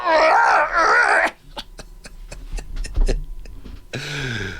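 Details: A drawn-out voiced groan gives way to a series of sharp clicks and knocks, then a low human voice resumes.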